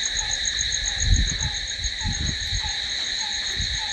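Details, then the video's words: Night-time crickets keep up a continuous bright, ringing trill, with a softer lower note repeating at regular intervals and a few low thumps and rumbles underneath. "Cricket sound"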